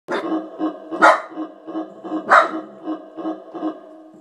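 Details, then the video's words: Pet dog at home vocalizing at keyboard sound effects it dislikes: a run of short, harmonic, moaning bark pulses about every half second, broken by two sharp, bright clicky bursts from the sound effects. "My dog HATES my keyboard's sound effects!"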